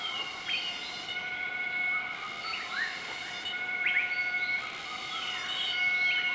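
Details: In central-eastern Laos's Nakai-Nam Theun National Protected Area on 20 March 2014, a group of southern white-cheeked gibbons duets at morning. A few sweeping rising whistles break over a persistent high insect hum.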